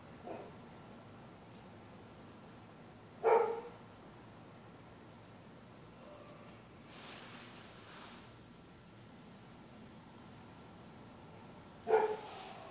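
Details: Neighbours' dogs barking through the night at passers-by on the public sidewalk: a faint bark at the start, a loud single bark, a soft rushing swell, then another sharp bark at the end.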